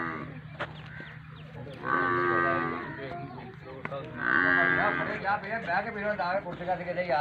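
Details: Nili-Ravi buffalo offered for sale in Pakistan, among other livestock. Two drawn-out, harmonic lowing calls rise around the second and fourth seconds, separated by quieter stretches, with men talking nearby and faint background music.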